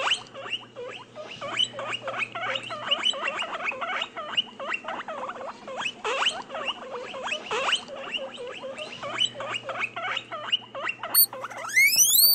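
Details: Guinea pig making rapid, repeated squeaky chirps with a thin high tone running through them, ending in a sharp rising whistled squeal over a faint low hum.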